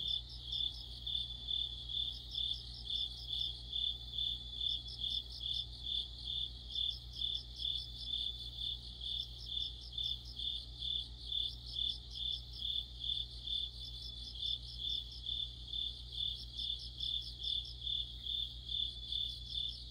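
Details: Crickets singing together in deep autumn, a high ringing chirp pulsing steadily about twice a second, joined by dense higher trills from other insects over a low, constant hum.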